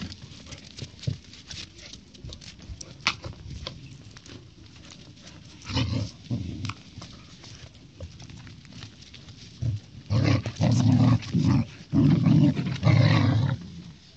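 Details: A Husky puppy wrestles with a golden retriever puppy. Faint scuffling at first, then from about six seconds deep guttural growls come in bursts, growing louder and denser toward the end as the play-fight heats up.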